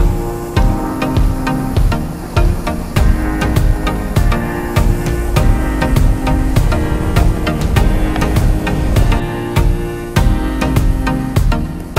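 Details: Upbeat music with a steady drum beat and instruments plays throughout, with no animal voices.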